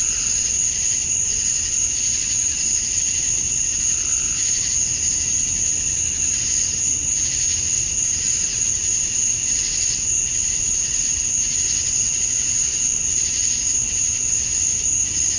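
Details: Male cicadas chirp to attract females at dusk on a summer night in Georgia, USA. A dense, unbroken insect drone holds a steady high whine, with a shimmering band that swells and fades in soft pulses about every second.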